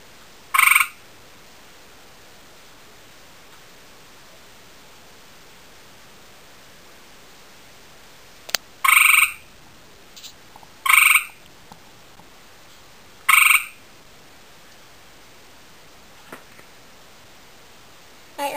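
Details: Male gray tree frog (Hyla versicolor) calling to a female he has seen. Loud, short musical trills of about half a second, given singly after a long silence and then roughly every two seconds, over a quiet background.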